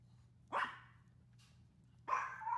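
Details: Dolce, a female Maltese dog, barking on a hot summer day: two sharp, bright barks about one and a half seconds apart, with quiet background between them.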